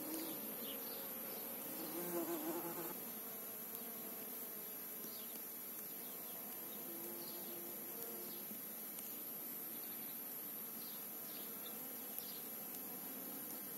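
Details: Honey bee on a trip to the field among apple and calendula flowers at Vikos, Greece; a low droning buzz rising and falling over steady hiss, with brief louder passes near the start.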